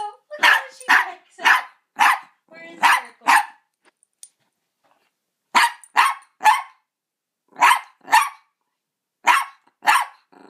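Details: Blind, deaf Double Dapple Dachshund barking after smelling a cat for the first time: sharp barks in pairs and short bursts of three, with brief pauses between groups.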